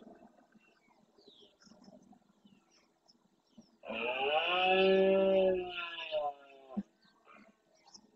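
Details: Red deer stag, the breeding male of a herd with adult hinds and young, roaring at dawn in the Doñana National Park marsh, Andalusia, Spain, during the rut. He courts the females and warns rival males off his territory and harem. One long, powerful, richly harmonic bellow lasts about two and a half seconds, holding steady then sagging, with faint bird chirps before and after.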